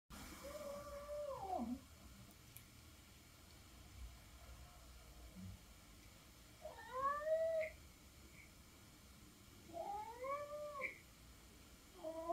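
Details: Norwegian Forest cat indoors asking for food, giving three drawn-out meows with rising then falling harmonics, spaced several seconds apart, with quiet pauses between and a faint low background hum.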